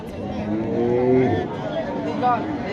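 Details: Cattle at a large cattle market on the grounds of Lakshmanpur girls' high school: one drawn-out, low, slightly rising moo with rich harmonics lasting about a second, then fainter lowing, over steady crowd chatter and talk.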